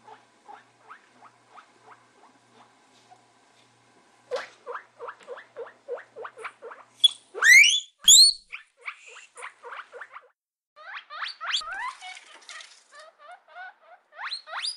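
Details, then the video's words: Guinea pig giving a series of short, rising squeaks, first soft and spaced about half a second apart, then louder, with two very loud piercing upward whistles in the middle, followed by faster runs of squeaks. "Guinea pig sounds"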